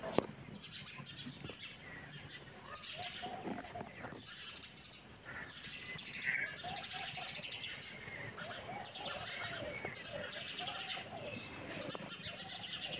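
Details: Kitten and adult cat playing together: a series of soft, rising-falling mews repeated every second or two, thin and plaintive, over faint background rustling and occasional chirps.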